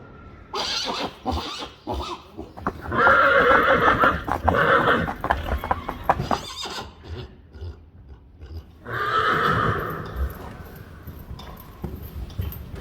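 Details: Friesian horses neighing, part of a collection gathered over about two years from a herd of 25: loud harmonic whinnies around four seconds in and again near nine seconds, separated by quieter snorts, shuffling and faint hoof clops.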